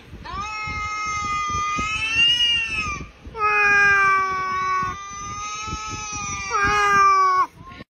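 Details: Cat yowling at a cat on a laptop screen it takes for real: sustained harmonic wailing howls of about three seconds each, nearly steady with slight rises and dips, two long bouts and a shorter final cry.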